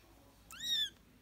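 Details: British and Scottish kittens: one high, thin mew that rises briefly and then slides down, rich in bright overtones, lasting under half a second against a quiet background.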